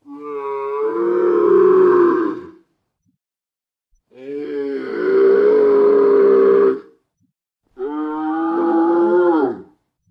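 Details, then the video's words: Dromedary in the desert giving low, rhythmic grumbles. Three long, throaty, harmonic moans of two to three seconds each, slightly wavering in pitch and fading downward, separated by clean silent pauses. "SOM DE DROMEDARIO"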